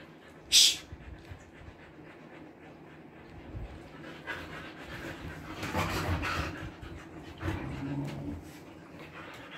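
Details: Siberian Husky with its coat trimmed for summer, panting in the Kolkata heat: soft, breathy, noisy rasps that swell around the middle and near the end, after a single sharp click near the start.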